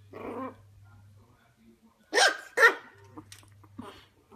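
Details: A Shih Tzu puppy reacts to its mirror image: a low rumbling growl first, then two quick loud barks in rapid succession, trailing off into softer yips, over a faint background hum.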